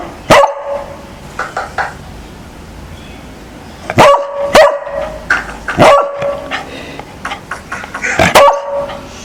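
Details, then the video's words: Domestic beagle reacting to strange sounds with loud, abrupt barks, some single and some in quick doubles, separated by short pauses, with faint higher squeaky sounds between them. "Beagle React to STRANGE SOUNDS | Try not to BARK"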